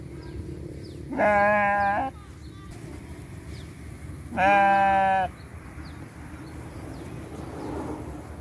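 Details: Goat in a village giving two long, quavering, nasal bleats about three seconds apart, over low background hiss.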